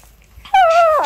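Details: Pet puppy left at home reacting as its owner tries to leave: one loud, clear whine that holds steady, then slides downward over about half a second in a quiet indoor room.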